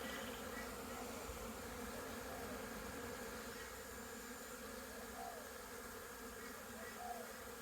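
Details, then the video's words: A swarm-like drone from crowds of honey bees making orientation flights around a busy hive, circling upward in figure eights, some returning with pollen, 22 September 2022; continuous droning hum at an even level, with faint brief higher notes. "Orientation flights busy Bees"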